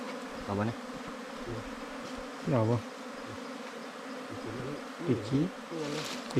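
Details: Wild bees, ground or cavity nesters, swarm around a nest opened during a honey hunt. A steady low droning hum runs throughout, broken by short bursts of a man talking nearby.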